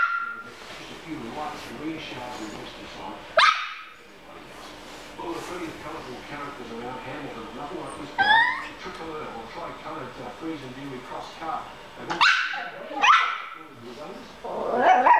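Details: A Yorkshire Terrier battling a fly gives sharp, high yips and barks in short bursts while people nearby ask where the fly is.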